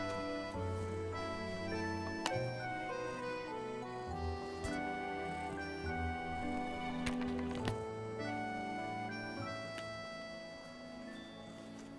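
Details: Soft background music, led by accordion-like sustained tones, plays throughout with a few faint ticks and no clear animal call.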